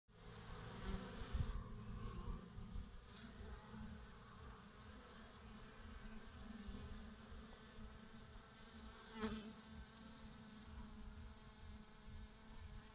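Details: Bees dying after plant-protection pesticide treatments, recorded 7 May 2017: a steady low droning buzz with layered harmonics runs throughout. Soft clicks and brief rustles rise over it near the start and around nine seconds.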